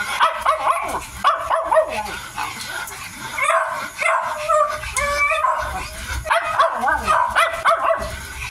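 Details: A Miniature Dachshund puppy, 55 days old, whimpers and yips while eating. The high, rising-and-falling whines repeat through the clip over steady background noise.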